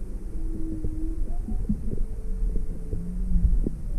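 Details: Inquisitive juvenile humpback whale near Maui, February 17, 2020, swimming toward a drifting boat with its mother. Several sustained mid-low hums overlap, some flat and some gently rising, over heavy low-frequency rumble and crackling knocks.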